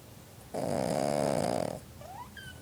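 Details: Magu, a seven-year-old female ruby Cavalier King Charles Spaniel, snoring while secretly napping on a futon in June 2012; one drawn-out, buzzy snore lasting about a second, followed by faint squeaky sounds.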